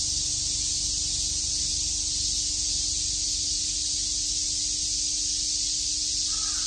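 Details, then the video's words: Summertime cicadas at Shakujii Park in Tokyo fill the air with an even, piercing buzz that never lets up; a faint bird call slips in right at the end. "Cicada chirps"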